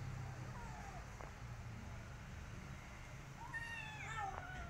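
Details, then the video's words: Street kitten after rescue, not eating and wanting out again, gives a faint drawn-out mew early, then one louder wavering meow near the end over a low humming background. "Rescue Kitten From Street Want To Go In Streets Again And Don't want To Eat Food"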